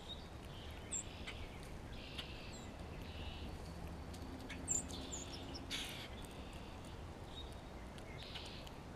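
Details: Spring recording of a grey squirrel calling to another squirrel and reacting to a nearby hawk. Harsh, noisy bursts come in short runs, with sharp high chirps from birds scattered throughout and a constant low background hum.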